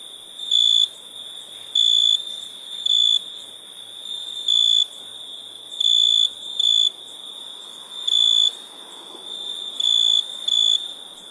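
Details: Cricket chirps: about nine bright, high-pitched bursts spaced irregularly, one to two seconds apart, each roughly a third of a second long, over a constant shrill chorus of crickets in the background.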